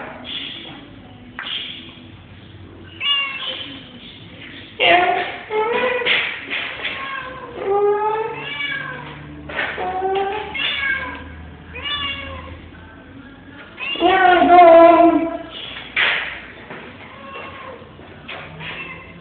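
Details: Shonga, a pet cat, meowing repeatedly: drawn-out, wavering, harmonic-rich meows, some rising then falling, coming in bursts every second or two, with one louder, longer cry near the end and faint background voices.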